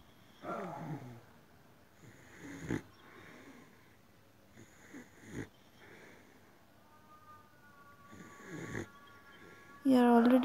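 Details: Boxer dog indoors snoring, rasping drawn-out breaths recurring roughly every two to three seconds at low volume, followed by a short loud burst of music at the end.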